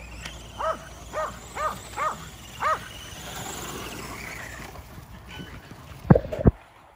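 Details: Five Kerry Blue Terriers exercising at home against an E Revo remote-control car: a run of five sharp, ringing barks about half a second apart, then quieter rumbling and two loud clicks or knocks near the end.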